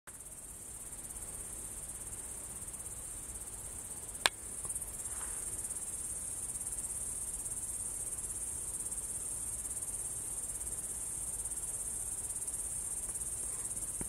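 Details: Crickets singing at Kolga, Estonia, on 6 September 2018 at 20:26, a continuous, even, high-pitched shrill trill with no pauses; one sharp click near the four-second mark and faint low background rumble.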